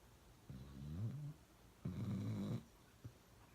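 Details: Loud snoring from Uno the dog, two low rattling snores about a second apart, each a deep buzzing drone with a slight rise and fall, followed by a short snort.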